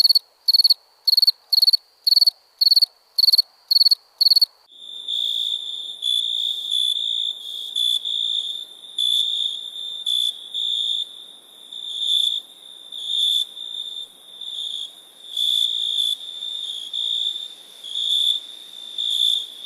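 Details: {'caption': 'Night crickets in India: quick regular pulsed chirps for a few seconds, then a different cricket takes over with longer, slightly lower trilled bursts roughly once a second over a continuous insect buzz.'}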